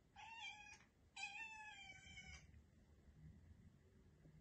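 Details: Domestic cat indoors, its relaxation interrupted, gives two short meows about a second apart, the second longer and slightly falling, then quiet room noise.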